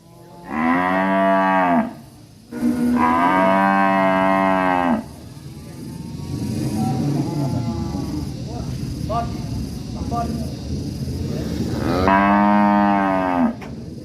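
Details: Agitated cattle in a rural village, three loud drawn-out moos, two close together near the start and one near the end, separated by quieter background rustling and faint voices.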